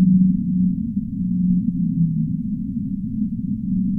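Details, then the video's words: Humpback whale singing, a sleep-sounds track: low sustained moaning tones held for about half a second to a second, repeating with slight pitch shifts over a continuous deep rumble, all sound muffled and heavily low-pass filtered. "Humpback Whale Singing"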